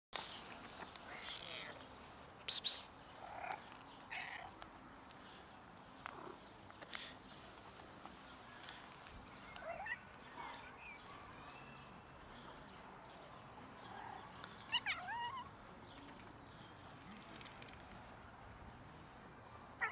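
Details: Domestic cat family trying to mate with one another, then eating: scattered short harmonic meows and cries, two louder bursts near the start and middle, over a steady noisy background with faint rustling.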